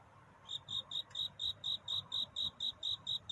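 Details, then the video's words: Courting cricket calling for love in the night toward dawn; after a half-second pause, bright, high chirps start and repeat at a quick, regular beat, about a dozen in total. "편안한 잠을 부르는 귀뚜라미 울음소리. 슬퍼 말아요 우는 것이 아니라 사랑을 찾는 노래랍니다 구애의 밤"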